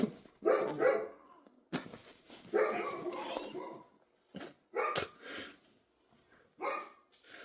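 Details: Dog barking repeatedly in short, harsh bursts, some doubled, spaced irregularly at roughly one-second intervals.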